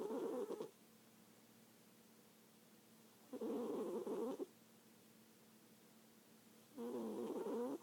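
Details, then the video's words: A cat asleep and snoring, giving three rough, throaty snores of about a second each, spaced roughly three seconds apart, with near silence between breaths. "Snoring cat"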